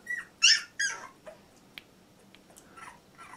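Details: Labrador Retriever puppy aged 14 days, Litter J, indoors: three loud high squeaks in quick succession, then quieter faint whimpers and clicks.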